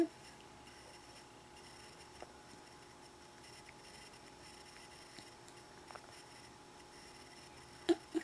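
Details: A quiet indoor room carries a faint electrical hum, with a few soft clicks near the end and no animal sound.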